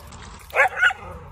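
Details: Dachshund, a sausage dog, giving two quick sharp barks in close succession, the second slightly softer, over a low steady background hum.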